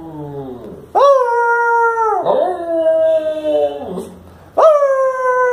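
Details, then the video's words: Shiro, a pet Lhasa Apso, howls in the evening in reply to his owner trying to get him to talk: long wavering harmonic howls rising then sliding down, with a quieter whimpering tone before them. "Lhasa apso talking!"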